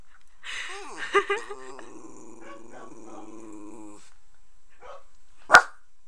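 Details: Poe, a pet dog apparently unhappy with the neighbor, opens with a couple of gruff barks, then a wavering, moaning growl for about three seconds, followed by quiet and a single sharp knock.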